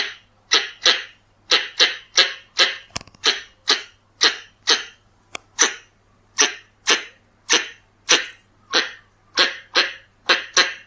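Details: Pallas's squirrel calling, recorded as a lure: some twenty rough, noisy chuck notes spaced about half a second apart, one brief clatter midway, steady low hum in the background.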